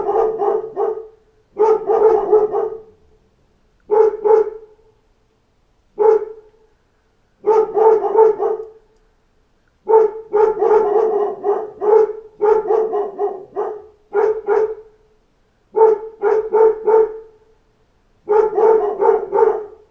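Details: A pack of dogs barking at knocks at the door: bursts of several overlapping, mid-pitched barks every two seconds or so, separated by brief silences, for about twenty seconds.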